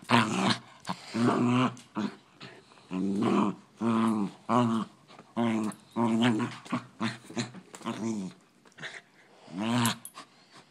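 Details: Fighting poodle growls almost without pause, a long chain of short, voiced rumbling snarls about half a second each, rising and falling in loudness across the whole stretch.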